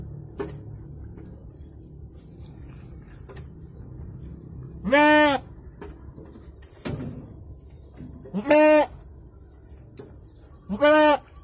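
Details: Goat during the birth of two kids, bleating: three clear short harmonic bleats arriving a few seconds apart after a quiet start, with faint clicks and low rumbling background noise.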